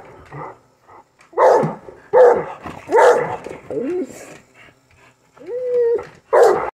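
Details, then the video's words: Rottweiler and English Bulldog, two dogs in a yard, barking excitedly while watching a remote-control truck driven around; loud, harsh barks come in irregular bursts, with a drawn-out whining yelp near the end. "Butt wiggles & barks! Rottweiler & Bulldog excited over RC car"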